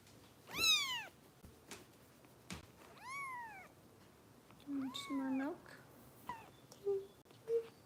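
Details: Foster kittens cared for by Los Angeles Kitten Rescue volunteers during bottle feeding, with a few sharp high meows spaced out, alongside brief human voice sounds and handling noises.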